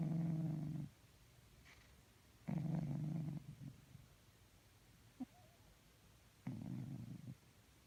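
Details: Snoring sleeping cat giving three deep, raspy rumbles spaced a few seconds apart, with faint clicks and small snuffles in the quiet gaps between breaths.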